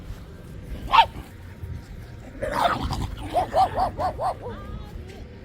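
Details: Shiba Inu at a dog run in Hokkaido Ballpark F Village, Japan, in cold weather: a single loud bark, a noisy burst, then a rapid run of five short yipping barks, with faint voices and music behind.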